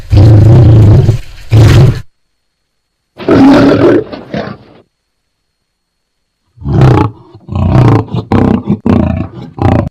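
A lion roars in a deep, throaty rumble. The bursts come in groups, the later ones breaking into shorter, coughing grunts that are loud, low and gravelly.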